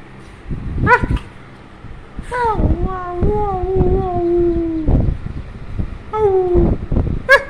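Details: Beagle letting out drawn-out whining howls that slide downward, one lasting over two seconds, between a few short yips; voices and household noise in the background.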